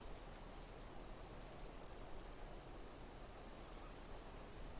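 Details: Insects chirping in nature: a steady, dense, high-pitched shrill chorus with faint regular pulsing, continuous throughout, over a broad hiss and low rumble.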